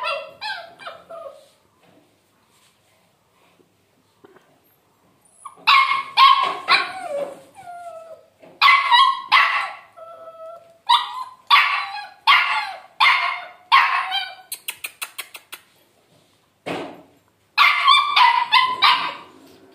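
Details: Labrador Retriever puppy barking in sharp, high yips. A soft whimper opens, followed by near silence, then rapid repeated barks in uneven bursts with brief gaps, ending in another quick cluster.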